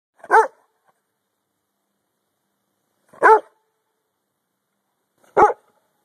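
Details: Dog barking on hand command outdoors while being teased: three short, sharp barks spaced about two to three seconds apart, each a single clipped woof.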